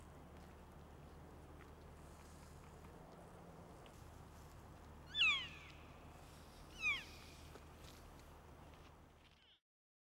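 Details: Wapiti (elk, Cervus canadensis), a stag with his harem in rutting season; two high, squealing calls sliding downward, about 1.7 seconds apart, over a steady low rumbling background.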